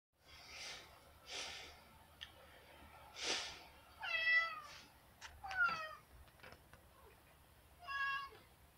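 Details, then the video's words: Simba, a pet cat, meowing while begging to be let outside; a string of short harmonic meows, some rising and falling, spaced about a second apart in a small room, with a person's voice in the background. "Smarty Cat Simba Meows Begging to go out side meowing"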